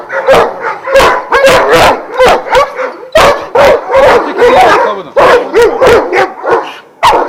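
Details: Kennel of twelve Vujanski-bred Šarplaninac in Jasika close to Kruševac: a chorus of barks in uneven clusters, deep barks and higher yips overlapping, with brief pauses between bursts.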